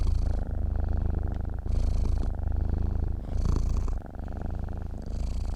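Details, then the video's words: A cat asleep, purring in a close, deep drone that rises and dips with its breathing, about three full breath cycles heard, each outward phase brushed with a light hissing air sound. "KUCING TIDUR MENDENGKUR"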